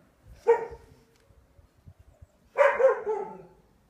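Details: Neapolitan Mastiff during training with wooden dumbbells: two deep, short barks about two seconds apart, each with a strong onset and rough tail, with soft thumps and shuffling in between.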